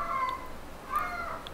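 A kitten gives two short, high, squeaky peeps while being touched, a sign it feels good.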